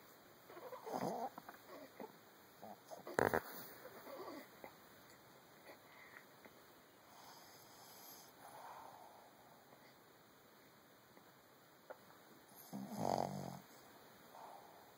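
A Boston Terrier snores with soft, breathy rumbles and snorts at irregular intervals.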